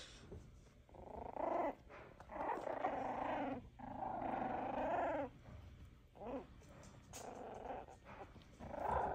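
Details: F1b Cavapoo puppies about four weeks old growl and yap in rough, wavering bursts with brief pauses between them.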